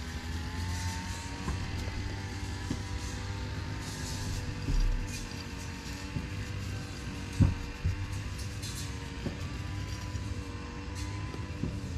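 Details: Outdoor urban rumble of passing vehicles with a steady engine-like drone and faint music, broken by a brief thump near the middle.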